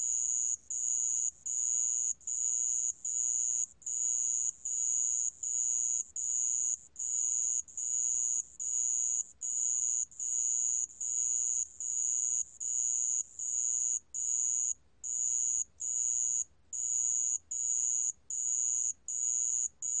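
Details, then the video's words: Sand cricket, 2020 recording from National Institute of Biological Resources: shrill, high-pitched continuous trilling broken into even pulses of about half a second with short gaps, roughly seventy-five per minute, over a quiet background. "모래방울벌레, 여러번 듣기, 곤충소리"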